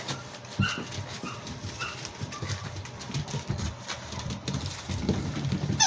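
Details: Seven-week-old Labrador Retriever puppies playing in a playroom on 27/01/2023; several brief high squeaks, a few spaced about half a second apart, over steady thumping, scuffling and knocking from the litter moving about indoors.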